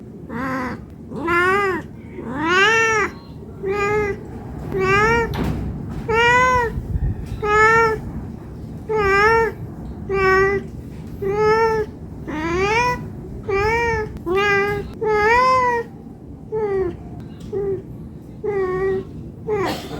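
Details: Hungry house cat begging for food with rapid, continuous meows, roughly fifty a minute, each a short arched wail rising and dropping in pitch, nearly overlapping at times; faint low rumble and brief background noise in between.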